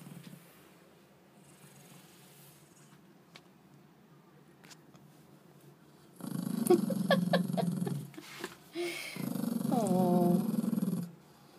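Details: Sleepy yorkie-schnauzer mix dog, born 2006, resting in a dark bathroom after a walk and lunch, grumbles when disturbed: two low rumbling growls of about two seconds each after a quiet start, separated by a short pause.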